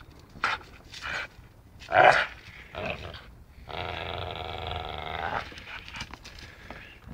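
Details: Dachshund at play, biting: a few brief gruff yaps and grunts, then one steady rumbling growl held about a second and a half before fading into soft snorts.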